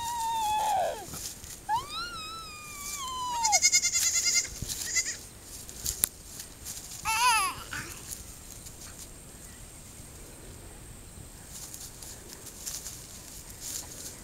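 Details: Newborn goat, born the night before, picked up and handled by a one-year-old child on a farm; several high, quavering bleats with bright harmonics, one long call sliding down, over the first eight seconds, then near quiet.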